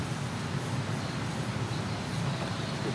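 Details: Steady low rumble of a moving vehicle fills the recording, with faint indistinct speech and no animal voice.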